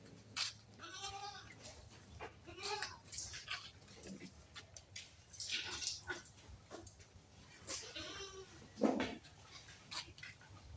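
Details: Improved-breed farm goats bleat several times, short wavering nasal cries spaced a couple of seconds apart, while people talk close by in an enclosed farm space.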